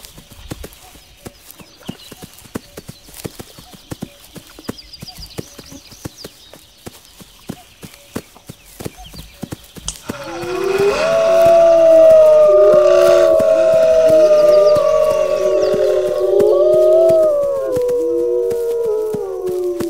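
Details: Brisk, steady clip-clop clicking with faint higher chatter opens, then a pack of wolves starts howling, long overlapping tones sliding up and down in a loud, sustained chorus that carries to the end.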